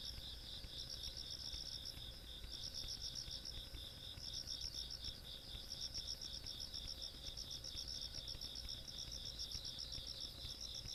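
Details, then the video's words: Rural night insect sounds from 17 August 2022: high, buzzy trills swelling in bursts of about one to two seconds over a constant shrill ringing, with a gentle low rumble underneath. "시골밤 벌레소리"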